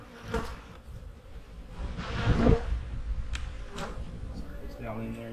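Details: Honey bees humming inside an opened hive in the fall while the beekeeper inspects it before winter: a deep continuous drone with clicks and a louder swell near the middle, and faint voice traces toward the end.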